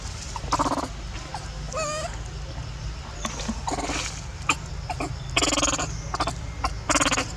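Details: Baby monkey in Cambodia, frightened by its mother turning aggressive while holding food, gives a brief wavering harmonic squeal near the two-second mark, between bursts of rustling and scuffling noise over a steady low hum.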